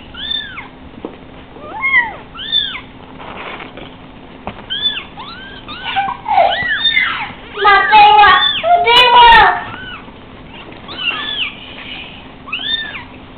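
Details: Litter of five spotted Savannah kittens, three weeks old, restless on a couch they cannot jump from, mew repeatedly in high arching cries, with a loud cluster of overlapping calls midway before single mews resume.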